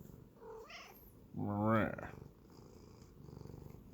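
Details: A Sphynx cat, a breed that rarely meows and instead makes grumbling, growling noises, gives a low, wavering growl-like vocalization, with a brief human voice just before.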